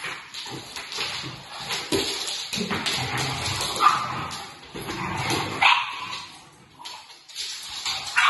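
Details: English Setter and Pit Bull play-fighting in a friendly way, a French Bulldog alongside; harsh growly grumbles and huffs come in uneven bursts, with a few short yips amid steady scuffling noise.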